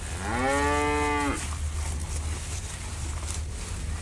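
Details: Bull eating elephant grass gives a single loud, steady moo lasting just over a second, starting slightly lower and levelling into a sustained, harmonic-rich tone before breaking off, followed by background rustling and low rumble.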